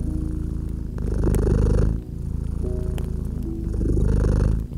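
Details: Domestic cat purring by a gently crackling fireplace in a cozy winter setting: a steady, deep rumbling purr that swells and eases with each breath, a cycle of about two seconds, with faint sustained tones and scattered fire crackles behind.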